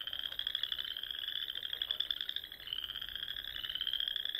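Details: Frogs heard at dusk in spring across the Sandhills of Nebraska, near small ponds: a softer, more distant blanket of high continuous trills with slight dips in pitch and a faint hiss beneath.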